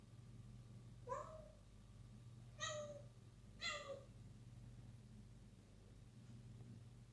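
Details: Wisky, a six-month-old kitten awake and playing at night indoors, utters three clear harmonic meows roughly every 1.3 seconds, each rising then falling, against a constant low hum.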